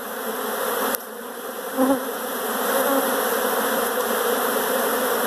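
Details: Many honey bees inside a house, a dense steady droning hum of massed wings, with a brief click near the start.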